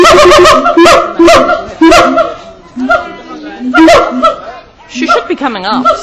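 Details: A hand-raised male siamang in an enclosure at Auckland Zoo, New Zealand, recorded 7 July 2013. Booming harmonic hoots are repeated in clusters, ending in quavering rising notes. People talk and laugh over the calls.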